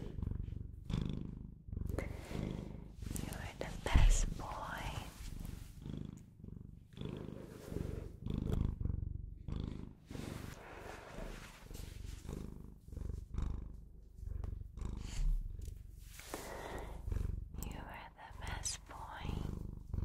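A Bengal cat purrs steadily, a deep rumbling hum that swells and fades with each breath.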